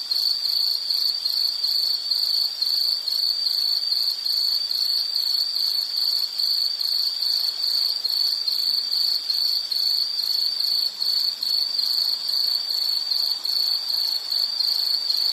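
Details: Steady insect song, a high, ringing trill made of quick beats a little over two per second in loudness swells, continuing unbroken throughout over faint hiss.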